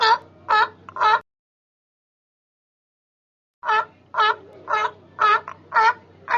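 A seal gives short, harmonic, bleating cries, repeated about twice a second.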